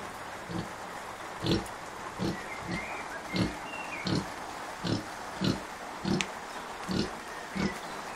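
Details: Kunekune sow Bella, five days after farrowing, with her piglets; unwell and still a bit grumpy but up and feeding them well. Low rhythmic grunts repeat about every 0.7 seconds, eleven in eight seconds, over a steady hiss.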